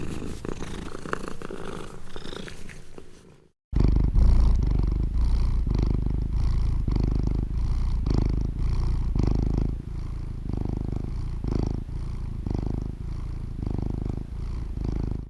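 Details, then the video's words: Cat purring, possibly with licking, a deep pulsing rumble of about four beats per second after a brief silent gap near the start, strong and steady to the end. "Cat Purring"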